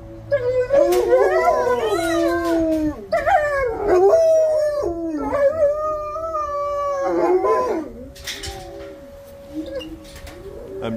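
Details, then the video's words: Ryuk and Ookla, two kennelled dogs, howling in response to the monthly severe weather siren test at feeding time; overlapping wavering howls with sliding pitch, short breaks between bursts, fading to a single steady tone near the end. "Ryuk & Ookla Howling"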